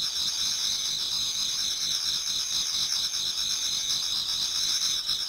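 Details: Many autumn insects singing in a Japanese garden towards dawn: a steady, dense, high-pitched ringing chorus with shimmering pulsed trills layered over a softer, lower chirping, unbroken from start to end.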